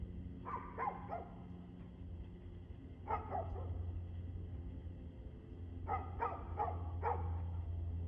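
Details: Clusters of three or four quick barks from a dog, evening of 2/6/2024 at 6:02pm, separated by short gaps, with a deep rumbling background throughout.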